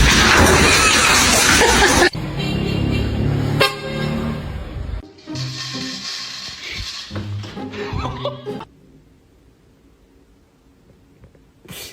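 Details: Loud music with a honking car horn and traffic sounds, then speech fading into near silence with a sharp noise at the end.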